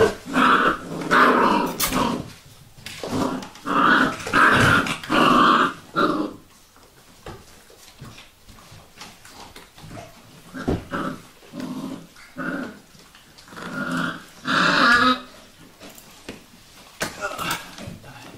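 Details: Sejla's Vizsla puppies growling and whining in bunched bursts, dense harmonic grumbles coming in clusters of four or five, then a quieter stretch with scattered shorter calls before another run of growls.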